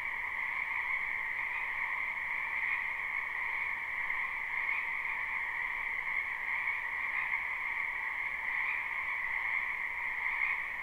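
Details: Many frogs croaking in a spring wetland, live recording without looping: a dense, unbroken chorus of trilling calls in two steady pitch bands, a lower and a higher, with faint rises in loudness every few seconds.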